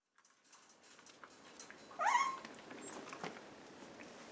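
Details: Chihuahua mix rescue puppies indoors: one short, high squealing whine rises and then drops around the two-second mark, standing out over soft rustling and small clicks in a quiet room.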